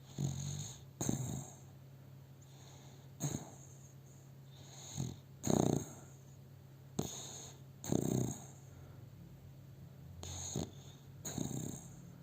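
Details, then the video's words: Milo, a pet dog, sleeping in the owner's arms and snoring, filmed on a cell phone indoors: low rasping snores and breaths repeating roughly every one to two seconds, some louder and fuller, over a steady low hum. "My dog Milo, is sleeping and snoring - Ο σκύλος μου ο Μίλο, κοιμάται και ροχαλίζει"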